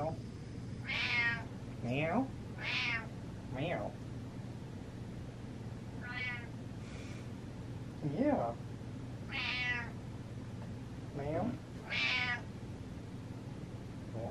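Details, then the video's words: House cat meowing insistently indoors: about nine meows over fourteen seconds, alternating bright rising-falling cries with lower, shorter ones, against a constant low hum. "Cat Meows With A Purpose"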